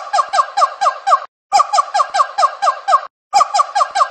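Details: Monkey cries: rapid bursts of five or six squeaky, harmonic chattering notes, each burst separated by a brief silence, repeating steadily with no other sounds.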